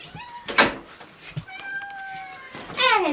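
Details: Indoors at Dove Cat Rescue sanctuary, a cat waiting for a new home lets out a long, steady meow, then a shorter falling one, with a brief human voice and a door knock beforehand.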